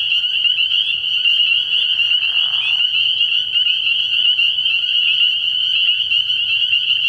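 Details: Spring peepers chorusing at night by a frog pond early in the year, a continuous shrill, high ringing of overlapping peeps, with a short breathy noise burst around two seconds and a faint low hum.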